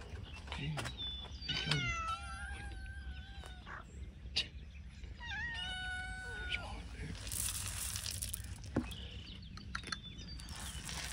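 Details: Hungry cats waiting to be fed, letting their owner know: several drawn-out, harmonic meows, some rising then falling, spaced a few seconds apart over a steady low hum, with clattering and rustling near the end.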